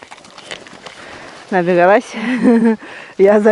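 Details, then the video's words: Siberian husky in her heat period, living in a village and howling every night, during a walk across snowy open land; three drawn-out, wavering, tonal howls, each rising and falling with a quavering pitch, separated by short quiet gaps. "Страшный вой хаски!"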